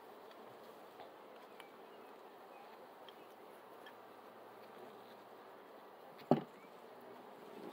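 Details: Bees heard as a low, steady, dense buzzing hum that runs without a break, with one sharp knock near the end and a quiet background.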